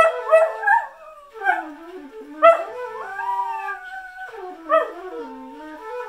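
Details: Singing whippet, a pet dog that howls in place of its usual loud barking while glancing at its owner: short yips burst out, then bend into long, wavering, falling howls with strong overtones, several phrases in a row.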